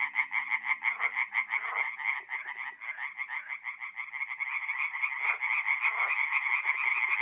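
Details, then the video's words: Singing tree frogs at a North-East Italian forest pond on an April night: many overlapping harsh, rapidly pulsed croaks surging and fading in waves, with a faint low hum early on. "relaxing forest pond by night with singing tree frogs"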